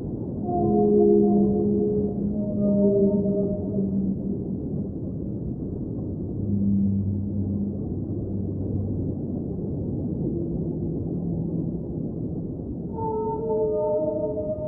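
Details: Singing whale in an ambient underwater soundscape: several drawn-out tonal moans with stacked harmonics, some low and sustained, others higher and wavering, returning near the end over a constant deep watery rumble.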